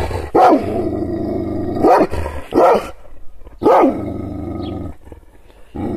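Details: Kangal shepherd dog angered by gestures: a sustained low growl runs beneath several deep, explosive barks, the growl continuing between barks before fading toward the end.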